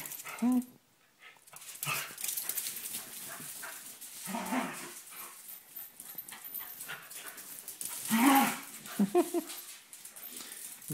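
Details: Binks and Shorts, two dogs play-wrestling, give brief high yips and whines at the start and again later, over constant scuffling and a person's speech.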